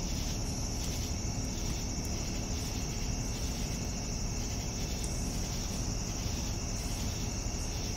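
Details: Crickets in the evening: a continuous high, ringing trill with regularly pulsed chirp bursts roughly once a second, over a persistent deep background rumble.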